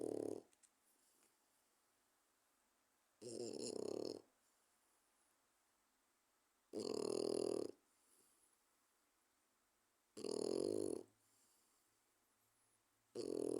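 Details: A 4-month-old French Bulldog snores loudly, each rasping, rumbling breath coming roughly every three and a half seconds.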